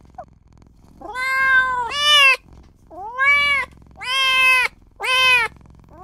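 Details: Small newborn kitten crying out for mother and owner: a faint chirp, then a long plaintive mew, a rising upswept cry and two more loud, bright meows in quick succession.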